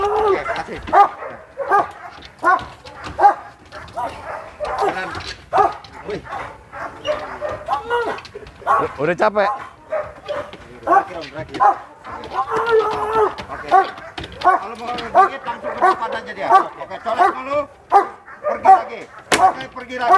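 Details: Sport dog under training at Vom Almere Dog Training Centre giving a long run of loud, rough barks, well over one per second, with people talking and calling throughout and occasional sharp knocks.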